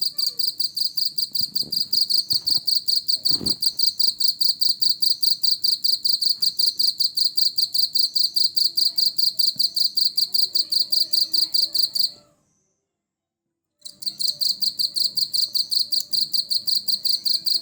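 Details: A cricket calling: rapid, evenly spaced high ringing chirps, roughly four per second, with a brief silence near the end before the chirping resumes; faint soft background sounds and a few low knocks early on.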